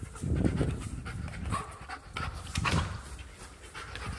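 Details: German Shepherd dog playing indoors at home, panting loudly and steadily in fast breathy huffs with low rumbling thumps underneath, several strong bursts across the few seconds.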